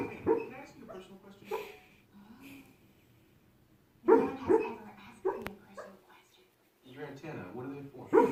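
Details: Sleeping dog making noises in its sleep: short bursts of muffled, voiced yips and woofs in clusters, separated by quiet stretches of several seconds, in a quiet indoor setting.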